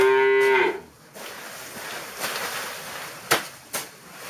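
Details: Dairy cow in a barn at a dairy farm in Kunak, Bogor, fed grass after concentrate: one short steady harmonic moo in the first half-second, then quiet barn noise with a few sharp clanks.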